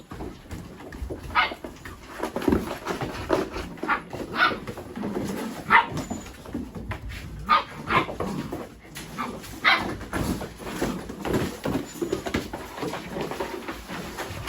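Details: Mini Goldendoodle puppies playing together with boxes, chasing each other and rolling around; short high yips and barks burst out irregularly for about fourteen seconds amid rustling and thumps of rough play.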